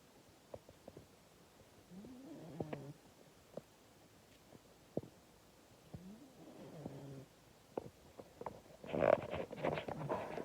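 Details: Female pet cat Scampi snoring loud enough to wake her owner, filmed with an iPhone; nasal snores with a rising, stepped tone repeat every few seconds among scattered clicks, ending in a louder, rougher burst.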